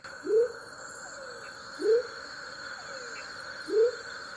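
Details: Male Leptodactylus savagei, smoky jungle frog, Tayrona National Natural Park: three short upward-swooping whoops, the last after a longer pause, with faint falling slurs in between and a persistent high-pitched insect buzz.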